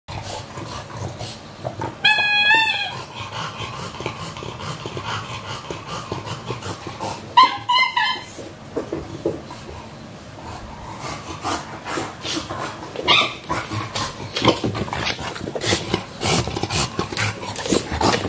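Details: English Bulldogs WanWan, aged one year 164 days, and Fe, one year 80 days, recorded 3 December 2015: two short, high, wavering whines around two and seven seconds, set against steady shuffling and clattering noise.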